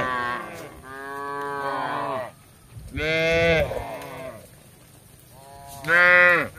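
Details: Tame village cattle roaming in search of grass give four moos: a long steady low, a rough bellow, a quieter short call, and a final loud arching moo.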